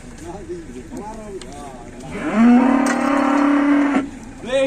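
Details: Downed cow, possibly bloated, that will not stand after being unloaded and is surrounded by many onlookers in Indonesia. Indistinct murmuring leads into one loud, sustained, level moo of about a second and a half, and a brief lower call ends it.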